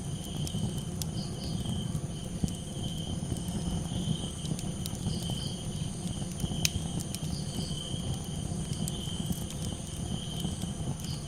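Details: Crickets calling at night beside a campfire: steady high-pitched trilling with a second fainter tone above it, overlaid by sharp crackles and pops from the fire and a low continuous rumble.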